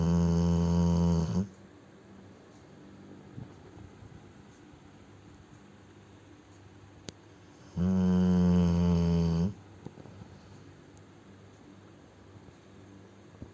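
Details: Ponchik, a Cane Corso, snores while asleep; two long, deep, buzzing snores roughly eight seconds apart, each lasting one to two seconds, separated by quiet breathing in a small room.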